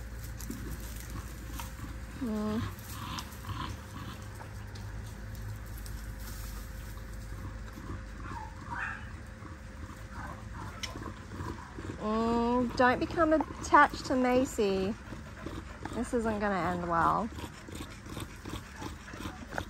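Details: Linc, a baby Australian cattle dog, plays with bigger puppies in a paddock; after quiet rustling and a faint yip, a burst of high, strained yelping barks repeats several times near the end, with low background rumble.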